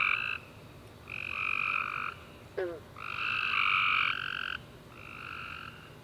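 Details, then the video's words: Tree frogs singing at night following a warm summer rain: about one-second trilled bursts in two bright bands, repeating with short gaps, plus one brief downward chirp-like click. "Tree Frog Chorus After A Warm Rainy Day - 10 Hours Tree Frogs Chirping You To Sleep"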